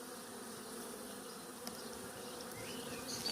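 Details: Honey bees humming steadily at an open hive during expansion with foundation comb, the queen laying and capped brood present; a low, even drone with faint bird chirps high above.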